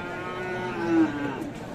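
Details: Friesian cross bull calf at Aftabganj cattle market in Dinajpur, Bangladesh, on 23 March: one drawn-out, steady low moo swelling midway then fading, over a busy market murmur.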